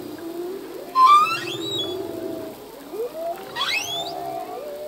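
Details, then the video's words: Male humpback whale singing underwater: a sharp rising whistle sweeping upward with harmonics, then lower moaning tones and a second steep upsweep, set over a steady hum of the sea. "Whale song - full length humpback whale song"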